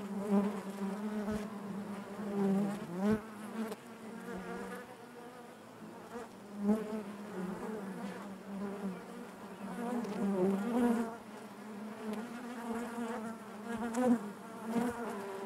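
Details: Inside a honey bee hive, a continuous low buzzing hum of many bees with rich overtones, gently rising and falling in loudness, occasional wavering pitch sweeps as single bees fly near.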